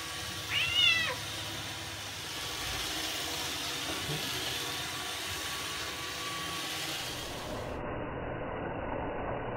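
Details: Indoor Bengal cat drawn to a robot vacuum gives one short, bright meow with a quick rising-then-falling bend near the start, followed by the steady whirring hum of the robot cleaner.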